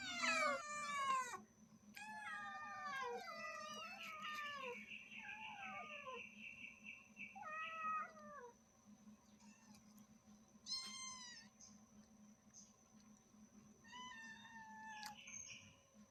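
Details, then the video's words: Mother cat and kittens meowing loudly: many overlapping high, harmonic meows in rapid bursts, some falling and some wavering, with a sustained high mew near four seconds, quieter gaps, and a constant low hum and faint high tone. "Cute cat and kittens meowing loudly"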